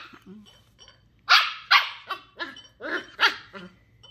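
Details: Female Sheltie puppy Ollie, ten weeks old and exploring new things, lets out a quick series of about six high, sharp yapping barks in close succession during play.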